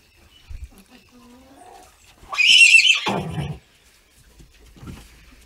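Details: Young horse foal, six weeks old, during its first haltering: a single strong whinny lasting just over a second, bright and shrill, then dropping into a lower rough tail, with soft handling noises around it.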